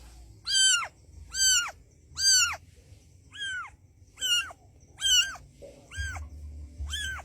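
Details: Mother street cat urging her white kitten to come, eight loud arched meows, rising then dropping, roughly one per second, with a soft low hum behind.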